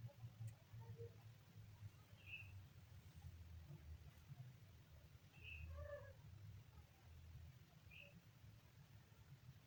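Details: Young kitten on its third day, giving faint, short high-pitched mews spaced a few seconds apart, one fuller cry with stacked tones near the middle, over a steady low hum.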